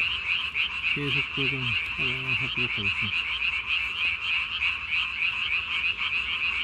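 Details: Japanese tree frog calling at night, recorded 3 May 2020, its vocal sac under the chin inflated as large as its body; rapid, steady, high-pitched pulsed croaks run throughout, with a low human voice briefly heard early on.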